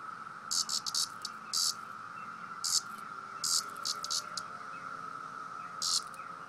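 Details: Male cicada protesting at being poked, sounding short scattered buzzy bursts at irregular intervals, quieter than before, over a constant background hum.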